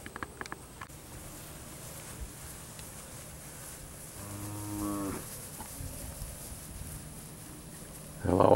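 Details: Sale cattle from a Bonifay, Florida ranch, steers and heifers, mostly black and black white-faced: one drawn-out, low lowing moo lasting about a second, over a steady low hum, with a sudden noise burst at the end.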